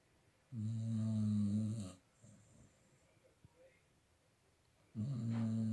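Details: Staffordshire Bull Terrier named Bek, lying comfortably and snoring: a deep, rumbling snore lasting about a second and a half, a quiet pause with faint breathing, then another low snore starting near the end.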